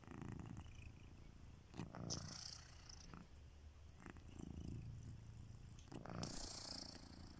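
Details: Kitiboy, a domestic cat, asleep and snoring: four low, purring breath rumbles about every two seconds, with bursts of higher hissy noise alongside.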